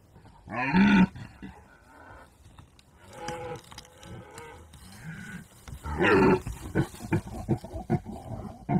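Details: Red deer during the rut giving deep, drawn-out roaring bellows, one loud call near the start and another about five seconds later, with quieter groaning and rustling between.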